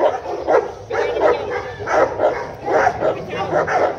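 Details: Tibetan Mastiff of native Tibetan stock giving short, hoarse barks in uneven bursts, roughly five or six within four seconds.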